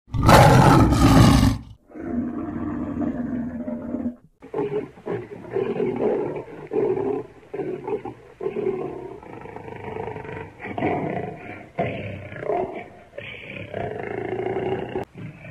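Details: Lion roaring: an intense, broadband burst for under two seconds, then a run of lower, rougher growling roars with layered harmonic bands, rising and falling in uneven pulses through the rest of the recording.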